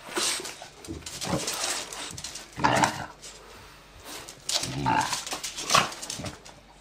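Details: A 10-year-old French bulldog plays with its owner like a puppy, though its energy quickly runs out, giving short, rough bursts of sound spaced a second or two apart.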